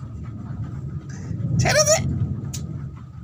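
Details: Domestic cat uttering a single short, strained meow with wavering harmonics, loud and close, over a steady low rumble of engine noise.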